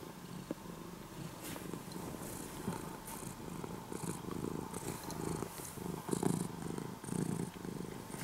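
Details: Morning purring from a once-stray orange-and-white kitten being tamed into a house cat; soft low rumbling in rhythmic breath-length bursts, about one per second, growing slightly stronger toward the end.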